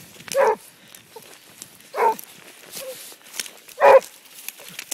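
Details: Basset Hound on the track, giving three short, hoarse barks spaced about one and a half to two seconds apart, with quieter rustling and faint outdoor background noise between them.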